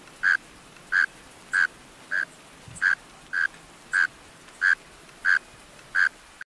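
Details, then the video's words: Calling male mole crickets, singing from closed burrows, give about ten evenly spaced chirps in under seven seconds. Each is a brief, low, buzzing trill at a constant pitch, with soft hiss underneath, then the sound cuts off abruptly. "Mole Cricket Sounds-Mole Cricket Sounds Effect-Mole Cricket Sounds Recording-Mole Cricket Call Song"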